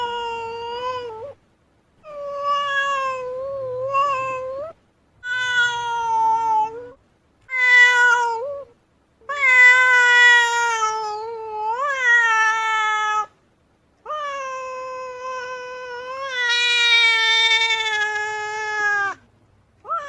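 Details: Female cat howling in displeasure while stamping its feet, a series of long nasal yowls, each one or two seconds, wavering and rising at the ends, separated by short silences; loud, clean indoor recording.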